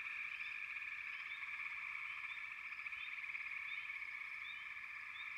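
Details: Continuous frog chorus, a grainy rapidly pulsed trill that never pauses, with brief upswept chirps scattered over the top.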